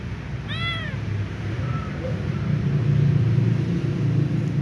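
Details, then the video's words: A little ginger cat with a sprained, painful left leg gives one short, clear meow rising then falling, followed by faint low rumbling background noise and traffic-like hum. "Little ginger cat meows left leg hurts sprained"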